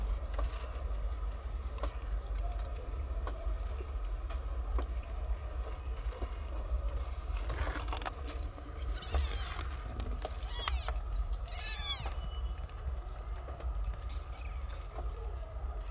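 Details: Nine newborn stray kittens in cat houses learn to nurse from their mother; high, thin mews arrive in a cluster of four or five short rising-falling cries midway, over a steady low rumble and faint ticking.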